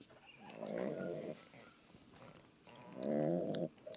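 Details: Small boxer dog snoring: two long, rough, harmonic-rich snore breaths of under a second each, separated by a quieter pause, with faint background hiss.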